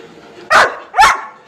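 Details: Labrador Retriever at home, barking while a woman scolds it and refuses it food; two loud sharp barks half a second apart over a low background hum.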